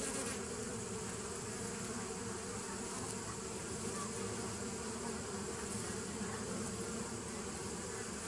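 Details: Bees humming together on 27 September 2018, a constant low buzzing mass with brighter high hiss above, no clear breaks or other animals.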